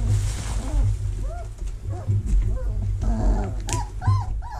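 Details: Vizsla puppies in their whelping box in early October 2020, while the box is cleaned and vacuumed: several short, arched squeaking whimpers rise and fall, some in quick pairs, over a steady low rumble.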